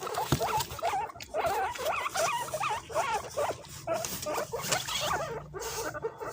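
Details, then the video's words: Several pet guinea pigs scrambling and competing to eat bananas indoors, giving quick wavering squeaks that rise and fall in bursts, packed densely over a steady patter of chewing and shuffling. "The sound of Guinea pigs scrambling to eat bananas"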